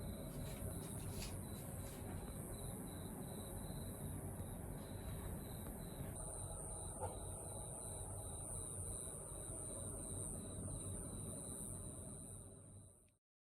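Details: Euconocephalus nasutus, a katydid, singing on a window screen on Okinawa Island, Japan, filmed February 24; a shrill, continuous high buzz holds steady through the latter half, over faint regular ticking pulses and a broad low background hum.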